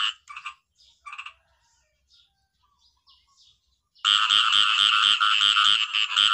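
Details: Small frogs, known in Thai as khiat i-mo, give scattered chirps, then burst into a loud, dense chorus of rapid, pulsing croaks.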